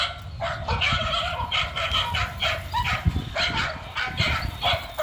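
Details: Male dog, on the run, giving a rapid string of sharp barks, several per second, over a steady low rumble of background noise.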